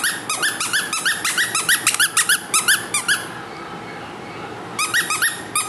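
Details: Small, lively female Maltese puppy indoors giving rapid high-pitched squeaky yips in quick bursts, several per second, a brief pause near the middle, then more short yips at the end.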